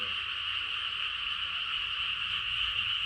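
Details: A countryside frog chorus heard deep in the night, many callers merging into one steady, shrill, buzzing drone that holds level throughout with no clear gaps.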